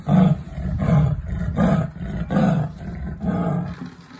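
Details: A Persian leopard at a zoo in Gdansk roars in a series of deep, hoarse, sawing strokes, each a short grunting burst, a little over once a second, fading slightly toward the end.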